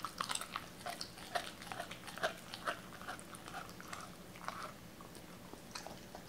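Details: Doberman named Cola eating raw chicken for the first time indoors, wary at first; soft irregular wet chewing and biting clicks, quick crunches at about two per second in a small quiet room.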